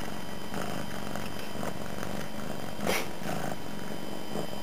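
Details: Domestic cat, a young female not long in her new home, lying on the floor indoors beside someone at a computer, purring loudly; continuous low rumbling purr with soft rhythmic pulses and one faint brief noise midway.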